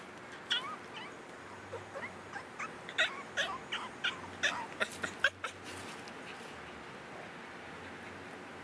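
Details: A female Boston Terrier 'talks' in a quick series of high, wavering whines, yips and warbling grumbles, some bending up and down in pitch, several calls a second for a few seconds, asking for a ball.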